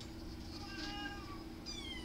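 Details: Kittens mewing softly: a faint, tonal meow that rises then falls, followed by a second thin, high meow sliding downward, over a steady low hum.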